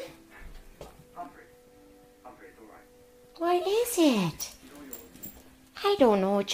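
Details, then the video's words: Roscoe, a Jack Russell Terrier, sits politely and 'talks' to his owner, asking for something he wants: a loud drawn-out yowl sliding down in pitch, then a second wavering whine, with faint murmuring earlier. ""Talking" Jack Russell makes hilarious noises"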